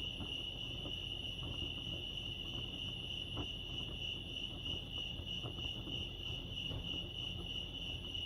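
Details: Crickets at Lake Arrowhead in California chirp in a dense, unchanging high trill lasting the whole stretch, with a faint low-frequency rumble beneath and occasional soft clicks.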